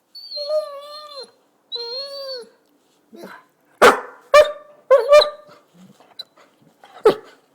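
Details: Basset hound rousing its owner in the morning: two long, steady, high whines, then a burst of sharp, loud barks in quick succession and one final bark after a short pause.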